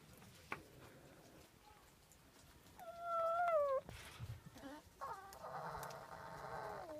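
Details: Winter at Zao Fox Village, Japan, where a fight between foxes breaks out: a sharp click, then a loud, clear whine that falls in steps, followed by a rough, buzzy cry held for about two seconds.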